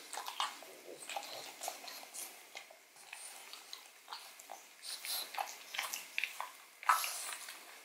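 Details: Close indoor recording of the pug Odin chewing a bone for its marrow: rapid, rhythmic gnawing clicks and wet crunches throughout, getting busier toward the end with one sharp loud bite.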